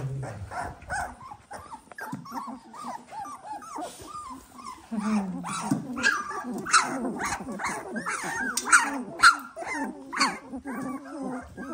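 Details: Eighteen-day-old Dalmatian puppies squealing together: rapid, arched, high-pitched yelps and whines, about two per second, rising and falling in quick bursts from several pups, growing louder and busier toward the end.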